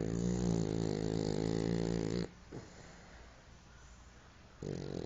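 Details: Snoring French Bulldog: one sustained, low, buzzing inhalation lasting over two seconds, then a near-silent gap and the start of the next snore.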